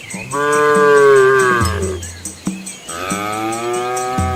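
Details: Asian village cattle and calves strolling along a countryside road by green rice fields; one long, slowly falling moo followed by a second, fainter drawn-out call.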